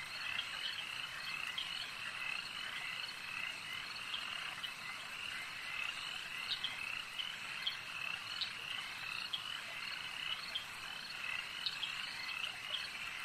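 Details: Many frogs croak together at a lake, a continuous high trilling chorus punctuated by sharper, distinct chirps popping out every second or so above the steady background of overlapping voices.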